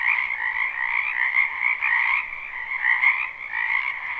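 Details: Frogs in a spring wetland beside a home, recorded live without looping. A constant, overlapping croaking chorus in two stacked bands, rising and falling gently in intensity, with no other clear sounds.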